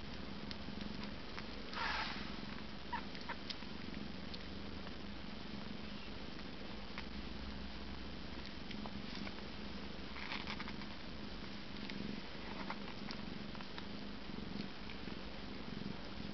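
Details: Eight-day-old Siamese kittens lying contented, bellies full of milk, with mother Kookos nearby: a steady low rumbling purr runs throughout the sixteen seconds, broken by a few faint rustles and one brief soft mew near the start.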